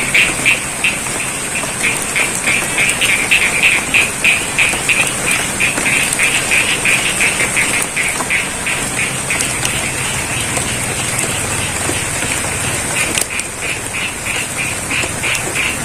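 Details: Frogs calling in the rain in the middle of a rice field at Sidorejo, Cangkring, Ngadirojo, Pacitan, East Java, Indonesia; rapid, even series of short bright croaks, about three per second, over constant rain patter and a steady high hiss.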